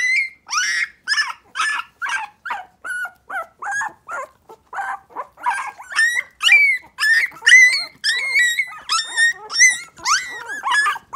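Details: Three-week-old Miniature Pinscher pups, three standard females and two chocolate males, nervous about the big world: clear, short high yelps and whines repeated about twice a second, some rising sharply at the end.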